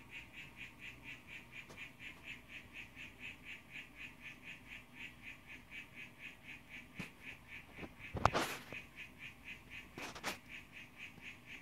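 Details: Harlequin poison frog, a young blue male calling to a female, phone recording; regular buzzy pulsed notes about twice a second, interrupted near the end by several loud handling clicks and knocks.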